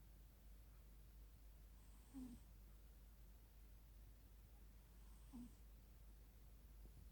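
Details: Persian Chinchilla cat, a pet 'princess' sleeping in the living room, snoring softly: two brief rasping snores about three seconds apart, each a low throaty rattle with an airy hiss, over a quiet indoor room hum.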